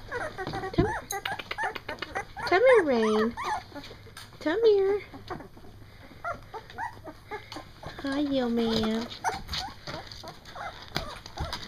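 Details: Two-week-old Doberman puppies from Bella and Mopar's first litter, eyes newly open, finding their barks: drawn-out, high whining cries that rise and bend, arriving in three separate bursts, with a person talking to the dogs between them.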